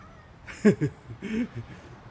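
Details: Male cats Siamlock and Naomi quarrelling outdoors on a late afternoon, 16 February 2018: two drawn-out, wavering, harmonic yowls, each about a third of a second long and a half-second apart, over quiet background noise.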